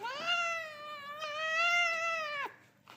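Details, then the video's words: A cute cat gives one long, drawn-out meow of about two seconds. The voice is high, clear and steady, with a slight waver, and it fades off at the end. The room around it is quiet. "so cute meow voice"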